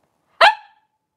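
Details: A single sharp, high yip from one of five playing three-week-old blenheim Cavalier King Charles Spaniel puppies, born to Paris and Spike at New Year's, sudden and ringing, fading quickly into silence in a quiet indoor pen.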